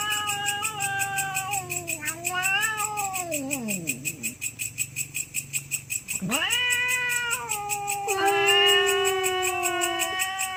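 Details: Cats brawling over territory late at night: drawn-out moaning yowls that bend down then sweep sharply up, overlapping howls from two animals, with a faint rhythmic ticking and low hum in the background.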